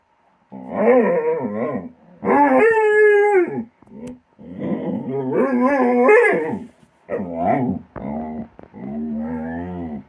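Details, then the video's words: Pet dog making funny noises while playing its regular game with a companion animal by a tree; long wavering howl-like moans and grumbles in several bursts, harmonic and rising and falling in pitch, separated by brief pauses. "make funny noises when they play"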